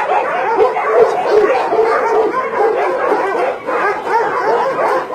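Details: January 2017 at a meat farm doubling as a puppy mill in Nonsan, South Korea, with breeds like Doberman and Golden Retriever. Dozens of barks and yips overlap rapidly in a steady, noisy chorus.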